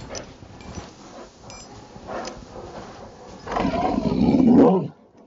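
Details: Rottweiler at play in Maryland snow, Saturday afternoon, December 19, 2009; quiet shuffling and soft noises, then a single loud, deep, raspy growl lasting over a second before stopping abruptly.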